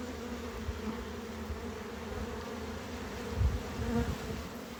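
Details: Honey bees buzzing at a hive during harvest and expansion: a steady, dense droning hum with a low fundamental and a clear overtone above it, continuous throughout, broken by a few soft low thumps and knocks.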